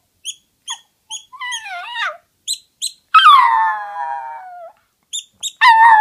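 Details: A toy poodle that enjoys howling starts with a wavering, rising-and-falling cry, then holds one long howl that slowly slides lower. It ends on a sudden loud outburst, with crisp ticking sounds in between.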